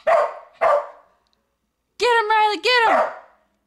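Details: Pet dog barking while a person urges it on with 'go get him': two short sharp barks, a pause, then longer, high, strained harmonic yelping bark-whines.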